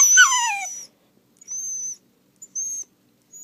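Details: Pet dachshund indoors, reacting to a spoken word that drives him nuts: one loud, high, falling whine-howl lasting under a second, followed by thin high whistly tones.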